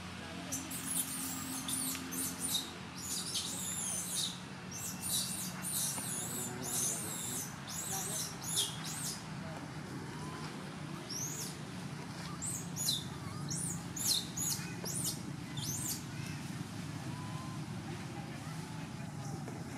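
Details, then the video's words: Skinny temple monkey Jovie in Cambodia yells to alert its mother and request milk before she nurses; bursts of shrill, high screeching calls crowd the first half, thinning into scattered cries over a steady low rumble. "Poor Skinny Monkey Jovie Alert Mom With Yelling For Request Milk"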